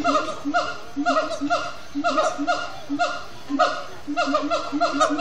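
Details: Siamang gibbons at Disney's Animal Kingdom sing at sundown after brief frenetic play: a rapid chant of loud, ringing whooping barks, each rising then dropping, repeated roughly twice per second.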